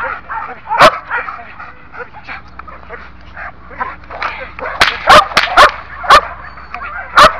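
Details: Belgian Malinois, one year old and in training, gives a single sharp bark, then a burst of five rapid barks near the end, with human voices talking throughout.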